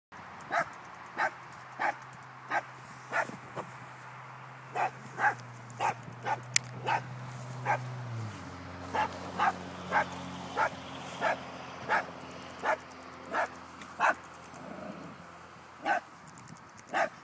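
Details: A dog barks steadily at a baby groundhog, short sharp barks coming about every half second to second.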